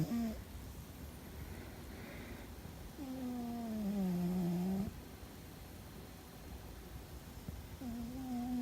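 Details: A pet cat asleep and apparently dreaming gives loud tonal snores, each a steady, slightly wavering hum lasting about one to two seconds. Long quiet gaps separate the snores, with faint room hiss throughout.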